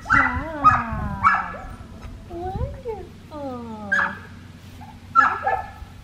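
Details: Australian Shepherd puppy, a black tri female, during a heel lesson in Oklahoma on November 25, 2019. Three quick piercing yips open, then several sliding downward whines, and a last yip, with human speech in the background.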